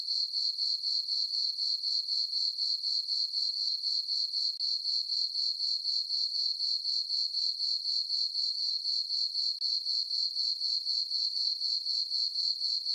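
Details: Summer-night crickets in a meadow on a farm beneath a full moon, giving a continuous shrill chirping band pulsed in even beats roughly four per second; nothing else audible.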